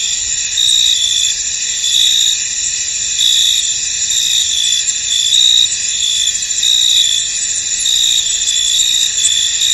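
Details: Field crickets in fog: a dense, unbroken high-pitched trill with pulses of brighter chirping roughly every second, steady throughout nearly ten seconds of calm countryside ambience.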